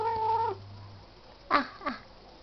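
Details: Bebel, a male pet cat said to act innocent after misbehaving, gives a steady, level meow of about half a second indoors. Two brief, fainter sounds follow over a low, constant hum.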